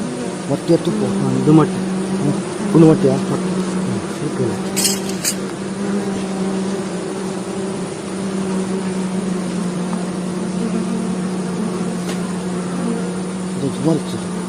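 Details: Stingless bees, known locally as mojanti, mishri or nasuri, being caught by a beekeeper at Hebri. A steady, low buzzing hum runs throughout, with brief louder rustles and faint speech in the background.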